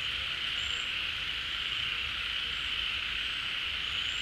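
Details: Frogs call en masse at a pond as the rainy season refills it. A steady, dense buzzing drone is broken only by a couple of brief high whistles.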